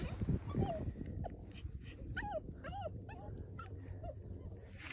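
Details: Puppy stuck in mud, whimpering in a series of short, high, arching whines, several in quick succession around the middle, over low rumbling background noise and a few faint human sounds.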